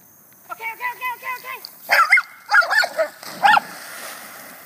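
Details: Australian Shepherd puppy jumping into a pond outdoors; a quick run of five short, wavering whine-like yelps, then several louder, harsher barking cries with quieter gaps between.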